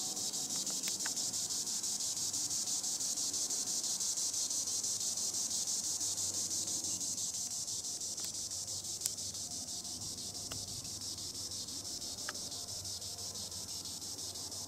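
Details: High in the treetops, a green annual cicada (Tibicen linnei) produces an unbroken sizzling buzz with even, rapid throbbing, plus occasional brief ticks and distant low rumble.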